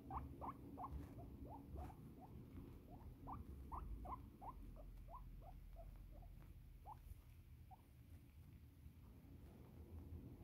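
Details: Female pet guinea pig, petted and needing to pee, gives a steady run of brief upward-sweeping squeaks, about three per second, some paired, fading toward the end over low room rumble.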